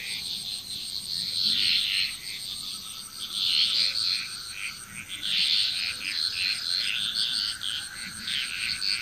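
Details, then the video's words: Chorus of frogs from Bali, Indonesia: rapid, grating croaks pile up in rolling surges roughly every few seconds, while a continuous shrill insect hum runs beneath and above them. "Frog Chrous"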